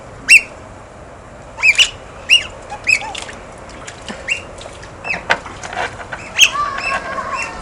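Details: Playful otters handling stones utter bright, high-pitched chirps, several clear ones early, then softer scattered squeaks and light knocking sounds toward the end.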